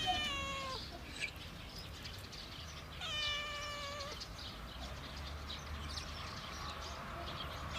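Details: Cat sounds from a compilation: two level, drawn-out meows a few seconds apart that drop sharply at the close, fairly quiet against a hissy background.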